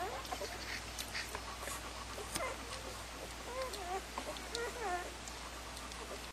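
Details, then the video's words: Puppies whimper in short, thin, wavering squeaks, more frequent in the second half, over scattered clicks and shuffling noises. "Puppies #3"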